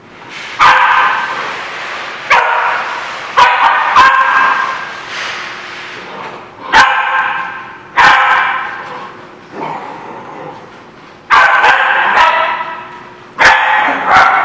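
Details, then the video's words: Dogs barking at a lot, recorded 7/3/17: drawn-out, harsh, yelping barks in bursts every one to two seconds, with sharp loud clicks or knocks between them and a faint steady hum beneath. "The Barking Lot"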